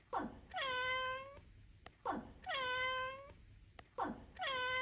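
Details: Domestic cat meowing: three drawn-out, tonal meows, each opening with a quick falling slide and then holding a steady mid pitch rich in harmonics, repeated about every two seconds with quiet gaps between.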